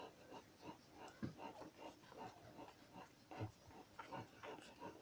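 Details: Two-day-old Dogo Canario puppies of a kennel litter, making soft squeaks and grunting whimpers in scattered short bursts, with some louder squeals near the middle and end over a low background hum.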